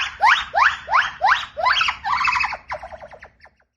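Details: Gibbon, or owa, singing its loud, long call: a run of strong whooped notes, each sweeping steeply upward, about two and a half per second, then breaking into quicker, wavering trills that fade away.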